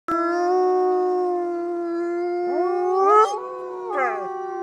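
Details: Wolves at the Lakota Wolf Preserve howling together: long, steady, sustained tones held at one pitch, joined after about two and a half seconds by other voices that slide up and waver, with short rising-falling inflections near the end.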